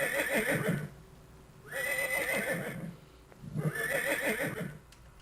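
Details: Horse neigh, described as the best known of the horse's several sounds, played as an example in an environmental education talk: three long, quavering, harmonic whinnies, each about a second, separated by short pauses over a steady background hiss.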